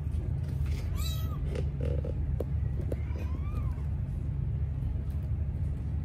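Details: Mother Sphynx cat giving birth to three kittens of different coat colours; two brief rising-then-falling mewing calls about two seconds apart, soft clicks and rustles, constant low droning hum behind.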